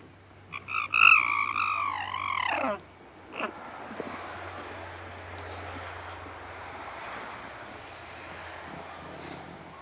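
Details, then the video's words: Alpaca calling out while refusing to share with the others: a shrill, wavering, harmonic cry lasting about two seconds, rising and dipping in pitch, followed by a faint click and quiet rural background; a person greets the animal just before. "What does the alpaca say?"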